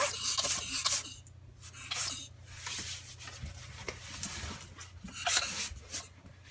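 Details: Anne, an unwell pet ferret, sneezes again and again indoors, recorded 12 February 2016 with no background music: sharp, hissy bursts cluster in the first second, return near two seconds and again past five seconds, over a faint steady low hum.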